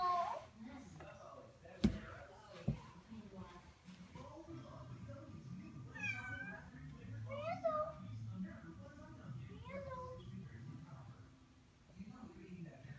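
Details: Hairless cat, newly welcomed into a family, indoors, giving several short rising-falling meows in the middle of the recording, mixed with people talking and a couple of sharp knocks near the start.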